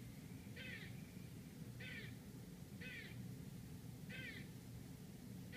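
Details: Squirrel barking outside an apartment in Manhattan, New York City: five harsh, raspy chucks repeated about every 1.2 seconds over a steady low rumble of city traffic.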